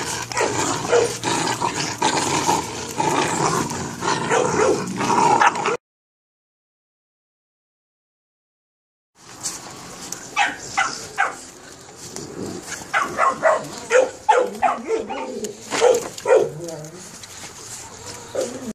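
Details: Perro de Presa Canario puppies, 72 days old, giving dense, overlapping high yips and whimpers with sharp clicky bursts, interrupted by a few seconds of silence, then resuming in quick irregular runs over a steady background hiss.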